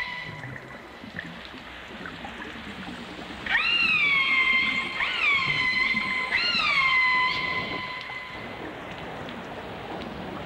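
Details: Dolphins and orcas, from a 1989 stereo album, giving long tonal whistles that rise, bend and then hold steady, several in a row, over a faint watery background.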